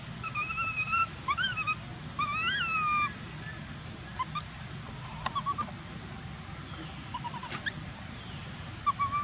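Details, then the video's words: Young monkey in Cambodia that has lost its mother, crying out for her: loud rising-falling whistled screams with bright harmonics, several in the first three seconds, then shorter sharp cries and clicks over steady background noise. "monkey lost mum he screaming for mum"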